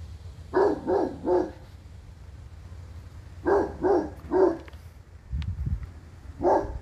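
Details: Black and tan Cane Corso called Mo Bounce barking deeply in two quick bursts of three, then one more bark after a low thump; faint background hum throughout.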